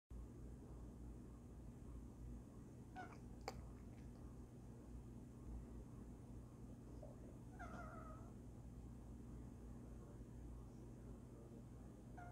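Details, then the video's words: Female domestic cat making odd noises while asleep: short, soft mewing chirps near three and eight seconds and again at the very end, each a brief rising-then-level tone, over a steady low hum. "our cat, making weird noises as she slumbers"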